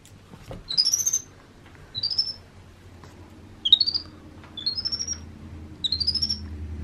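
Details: A vocal pet baby monkey indoors during playtime and bottle feeding gives five high, thin squeaky calls that sweep upward, spaced about a second apart, over a low steady indoor hum and faint handling noise.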